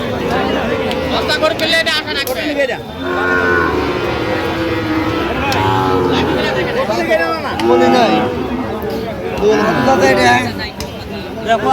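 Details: At a crowded Bangladeshi cattle market serving Dhaka buyers, on 3 October 2025, Sahiwal bull calves and other cattle give repeated deep, bending moos. Loud human chatter and haggling voices run throughout.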